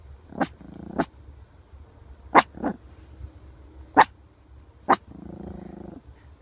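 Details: A male Pekingese barks in short, sharp, high yaps, sometimes in quick pairs, spaced unevenly, with low, rough grumbles and whiny growls between and a faint background hum.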